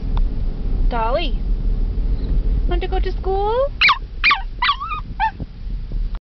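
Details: Female Chihuahua eager for doggie school, letting out rising and falling whimpers followed by a series of short, sharp high yips, with the owner's voice and a steady low rumble underneath.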